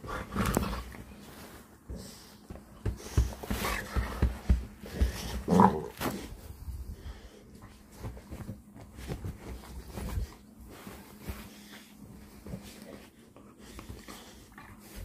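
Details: Bully bulldog play-fighting on a bed indoors; deep throaty growls and rough roaring rumbles come in quick irregular bursts, loudest in the first six seconds, then softer huffing and shuffling.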